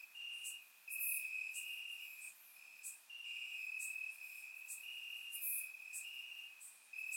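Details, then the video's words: Night chorus of crickets chirping in Bulgarian grass on a warm summer evening; a shrill sustained trill rises and falls in loudness in bursts, while short piercing higher chirps punctuate it. "Cricket Sounds - Crickets Chirping at Night"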